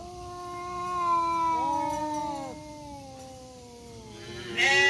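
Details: Two male village cats, black and striped, in a growling fight in a forest: two long tonal yowls overlap and bend against each other, one sliding downward and steady, before a sudden louder burst at the end.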